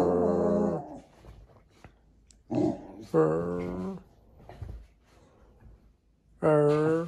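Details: Jack Russell Terrier seemingly trying to say something to its owners, producing drawn-out harmonic whine-growl vocalizations in three bursts of about one second each, separated by quiet pauses, indoors in a small room.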